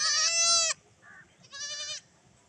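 Young goats bleat in high, quavering cries: a loud bleat, a softer short one, then another wavering bleat, with faint background rumble.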